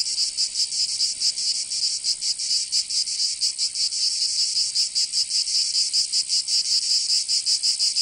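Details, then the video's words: Summer cicadas in Provence, southern France: a high, metallic buzzing with somewhat uneven pulsing, a continuous dense chorus that keeps a fairly constant loudness. "Canto Cigarra"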